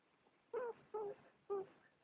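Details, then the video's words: Cat giving an odd, strained mew: three short, harmonic, slightly wavering cries about half a second apart, each a brief nasal wail, in a quiet indoor room. "Funny cat. Weird Mew"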